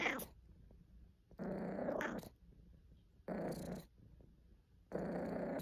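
A domestic cat makes a series of coarse, growly complaining meows, each lasting about half a second to a second. The calls come roughly every one and a half seconds, separated by near silence in a small room.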